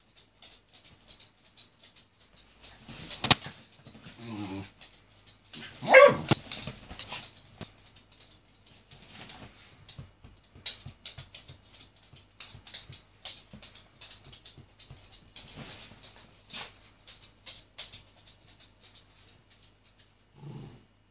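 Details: Jack Russell Terrier, described as naughty, giving a few sharp barks and yips, loudest near three and six seconds, with a short low yelp at the end, amid scattered tapping and rustling noises.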